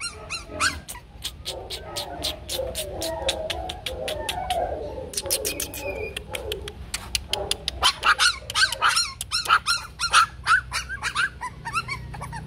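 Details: Bac Ha dogs, a Vietnamese native breed raised at a breeding kennel, yap in rapid, irregular bursts of short high barks; a stretch of lower voices and rustling sits in the middle before the yapping grows denser and louder.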